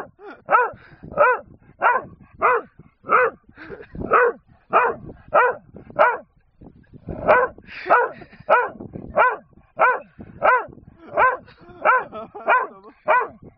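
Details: A long string of loud, evenly spaced barks from Bob, a dog on a hill barking at a man because he wants a wooden gun found on the hillside. There is a short pause midway before the barking resumes.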